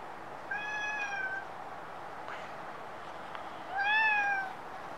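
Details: Two separate meows from a stray cat in Japan, recorded with a Nikon D5300, about three seconds apart. The second is louder and slightly falling at the end. A soft click sounds between them against a quiet, hissy background.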